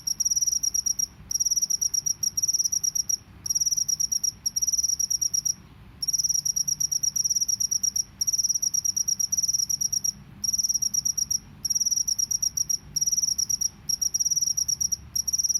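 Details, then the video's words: Natural field cricket song in the drilling "ngebren" style: shrill, high pulse trains running for one to two seconds at a time, separated by short gaps, repeated steadily throughout, with quiet low-frequency background noise. "SUARA JANGKRIK SAWAH NGEBREN"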